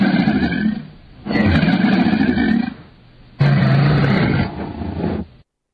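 Crocodile roaring in deep, rumbling bursts, three long growls separated by short pauses, low and guttural throughout.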